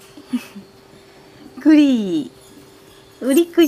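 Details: Black male Labrador Retriever puppy, 46 days old, born 31 August 2015, at a breeder in Ibaraki, Japan, filmed 16 October: one drawn-out whine sliding downward, then two short, sharp yelps near the end, over a quiet background.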